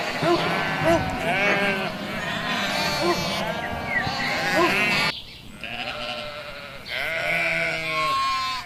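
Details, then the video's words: Sheep flock in a busy chorus of overlapping bleats, then after a short pause two or three clear, drawn-out, wavering bleats from nearby animals. "Sheep, sound"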